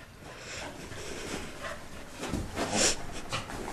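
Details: Pet dog Belle just out of the bath, which she dislikes: rough snorting and huffy breaths, building to a louder snort near the end, over a low rumbling background.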